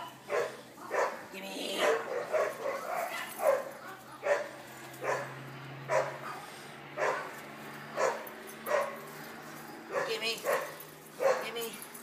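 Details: Playing rope with a person, the Boston terrier Jackie lets out sharp, broadband barks about every second, a steady run of play noises mixed with the human voice and laughter nearby.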